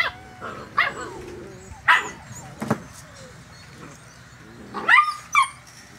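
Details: Seven-week-old Poodle puppies from one litter (two brindles, a tuxedo silver sable, an apricot-and-white parti and a black pup) sent off to play; scattered high yips and short barks with bending tones, a woman's voice between them.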